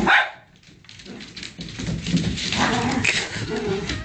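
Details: Two dogs, one of them little, play fighting: a sharp yelp at the start, then a rough stream of growls and gruff barking noises that rise and fall over a few seconds.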